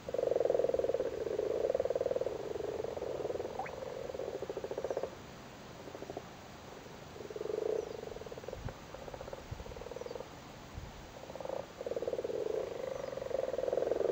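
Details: Big male frogs on their spawn in a flooded cattle grid, Cork, Ireland, in spawning season: bursts of low, grating purrs, loud at first, then scattered shorter croaks and knocks before the chorus builds again.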